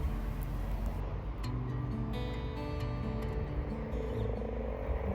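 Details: Male common frogs (Rana temporaria) breeding in a wildlife pond give low, soft purring croaks. Steady traffic rumble partly masks the calls.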